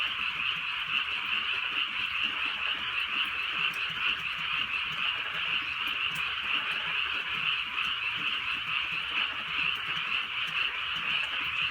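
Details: Night-time croaking of many frogs in the rainy countryside, a thick steady chorus of fast, high, rattling notes that never pauses, plus scattered soft drips of drizzle.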